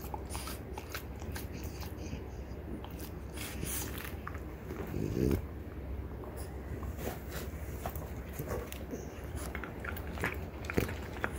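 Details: Pair of female French Bulldogs, mother Ume and daughter Roku, chewing deer antler with dense rattling crunches and hard clicks throughout, plus a short breathy snuffle near the middle.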